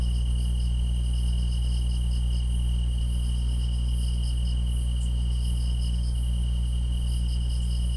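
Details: Grass insects calling together: a sustained, even, high trill never pauses while short runs of fast pulsed chirps come and go above it, backed by a faint hissing shimmer and a steady deep background drone.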